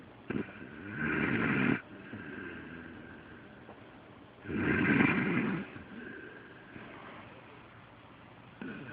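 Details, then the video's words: Sleeping dog Delilah snores as loud as a human, two harsh rattling breaths about three seconds apart, each roughly a second long, with faint clicks and a quiet hum between them. "My Delilah Snoring"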